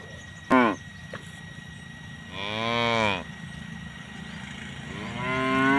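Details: Tame cows grazing alongside their calves; a short sharp bawl, then a longer, deep harmonic moo and a rising call at the end, with a faint steady hum behind.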